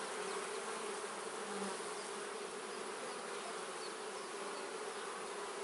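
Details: Steady drone of a kept honey bee colony at its hive, an unbroken, even buzz with a faint lower tone swelling briefly near the middle.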